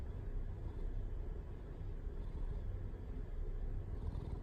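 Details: Pet cat that purrs readily, giving a continuous low rumbling purr with steady even pulsing and no breaks, quiet indoor background.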